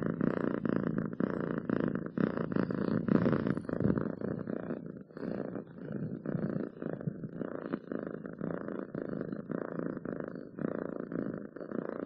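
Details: Domestic cat purring loudly, a deep rattling rumble in regular pulses, slightly rougher and heavier in the first few seconds, then steady and even.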